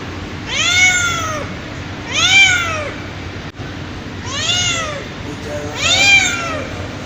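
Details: Mother cat calling her kittens: four drawn-out, arching meows, each rising then falling, spaced roughly every one and a half seconds, with a steady low hum beneath.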